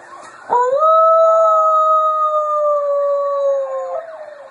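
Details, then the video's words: Sammy, a pet dog, howling at sirens: a single long, steady, tonal howl that holds its pitch for about three and a half seconds before sliding slightly lower and stopping. "Sammy Howling at Sirens"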